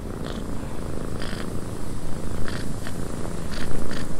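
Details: Cat purring in a windy cabin, a low continuous rumble rising slightly in loudness toward the end, with scattered short hissy bursts above it and a constant wind wash.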